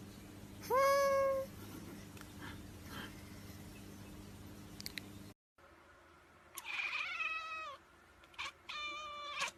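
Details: Domestic cat meowing indoors: a clear, loud drawn-out meow with a rising start and level tone, then after a cut two further shorter meows, the last one sharper and higher; quiet room hum underneath.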